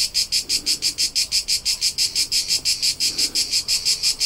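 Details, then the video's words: Summer cricket song in rural Tuscany, Italy: bright, shrill pulses repeating in a regular rhythm near three per second, clear and dominant over a soft low hum. "CRICKET SOUNDS for TINNITUS and RELAXATION : : Soothing Soundtrack of Cricket Noises"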